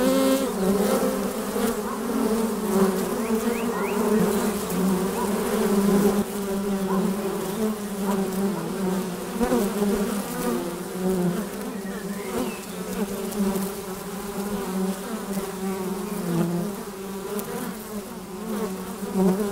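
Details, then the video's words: Dense, steady buzzing of numerous honey bees flying around a hive entrance, overlapping wingbeat hums that waver in pitch as bees come and go. "Bienensummen am Flugloch - 5 Minuten das Summen der Bienen"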